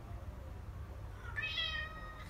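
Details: Maine Coon cat at home uttering a brief rising then level meow with clear overtones, set against low room hum, while its owner chats to it in French.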